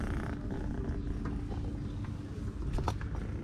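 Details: Female tuxedo kitten, a stray living near the beach in Istanbul, purring loudly after eating while climbing on a person and wanting to play; steady low rumbling purr beneath continuous background hum and noise.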